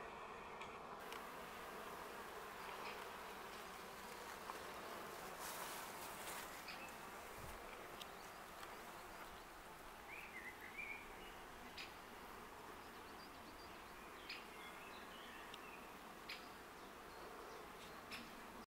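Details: Honey bees of a wild colony in a tree in Augsburg's Stadtwald, Germany, May, busy flying in and out at a shaded site beside a small stream; a steady many-winged buzz fills the recording, with scattered clicks and brief bird notes.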